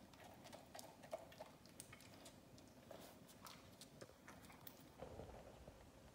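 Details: An Australian Shepherd crunches leftover Thanksgiving turkey bones, with irregular cracking and gnawing clicks every fraction of a second and soft wet chewing in a small, quiet room.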